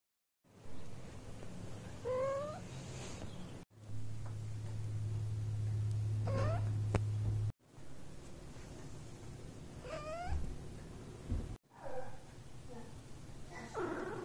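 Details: Domestic cats touched while sleeping; short rising chirped meows, each a quick upward-sweeping trill, in several separate takes with brief gaps, over a low steady hum.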